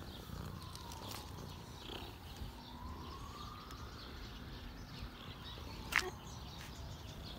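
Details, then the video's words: Male cat named Cinnamon purring while being petted, a soft, steady low rumble throughout, with a faint swooping tone drifting up and down in the background and a brief sharp click near the end. "I found purring machine"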